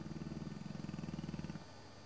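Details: Deep, rapidly pulsing snore from Sabre, an elderly English Bullmastiff napping on a Sunday afternoon, jowls flapping; the low rattle holds steady for about one and a half seconds before trailing off into quiet.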